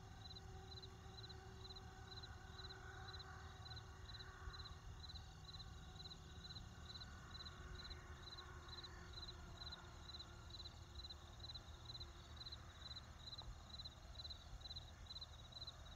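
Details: Crickets in a field keep up a high, rapid, evenly pulsed chirping trill, unbroken throughout, over a low, constant rumble like distant wind or traffic.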